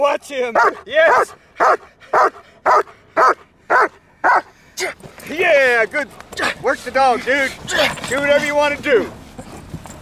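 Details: Trained German Shepherd from Kraftwerk K9, high-performance work under full control: about ten sharp, evenly spaced barks, each roughly half a second apart, followed by a man shouting commands and praise over the final seconds.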